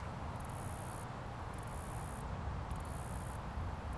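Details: Cricket chirping from a leaf in natural surroundings, recorded closely: piercing high-pitched trills in bursts of about half a second to a second, three and a half bursts, with a constant low rumble underneath.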